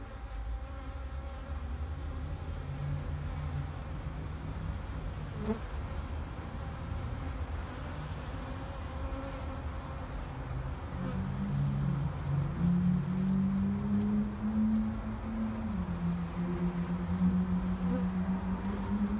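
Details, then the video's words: Wintering honeybees in a backyard hive in Vancouver, BC, on March 2, 2019, at 2:30 in full sun and 8 degrees, very active after the cover is removed; a steady low droning hum with a tone rising in the second half. "Wintering Bees"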